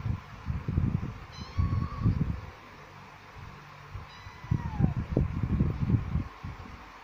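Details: From a pair of kittens, one male and one female, come two short high meows, the second falling steeply in pitch, over repeated low bumping and handling noise.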